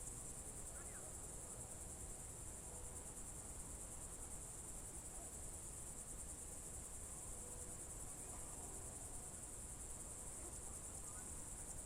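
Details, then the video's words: Evening chorus of crickets in June 2023, Novye Buregi tract, Novgorod Oblast: a continuous, high-pitched pulsing trill holds level throughout, with a couple of faint distant chirps and low ambient rumble beneath. "Звуки природы , сверчки"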